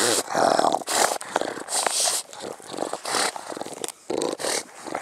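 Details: Heavy, rapid dog panting, roughly nearly three breathy huffs per second, harsh and uneven, very close; the dog belongs to a mastiff-type family with English bulldog, bull terrier and American bully.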